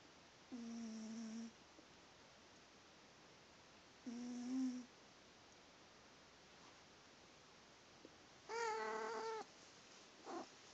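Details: Sleeping female house cat Pumpkin gives two low, droning snores about three and a half seconds apart, then a brighter, harmonic-rich chirp-like vocal near the eighth second and a brief final note, indoors with little background noise.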